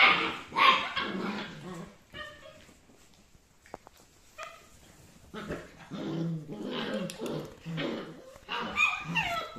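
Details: Rough Collie puppies, a litter aged seven and a half weeks from the dam Wena, giving high-pitched squeaky yelps and short barks in irregular bursts, with a quiet gap around the middle before the noisy chorus resumes.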